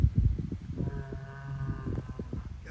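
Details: Big angry Angus bull, heavily muscled, walking toward nearby people, lets out a low, steady bellow lasting about a second with a rich harmonic tone, framed by thumping footfalls and men talking close by.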